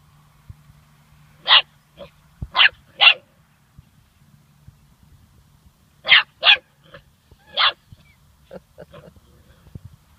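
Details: Young German Shorthaired Pointer pup, seven weeks old, at its first encounter with a dead bird, giving scattered high, piercing barks in pairs and triplets separated by quiet pauses, with a low steady hum underneath.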